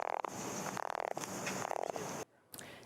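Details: A female dusky gopher frog, an endangered amphibian, gives a deep, rasping call that sounds much like a person snoring.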